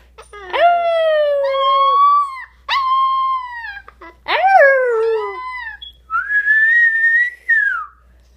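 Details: A four-week-old wolf pup gives a series of thin, high, wavering howls, having just found his howl.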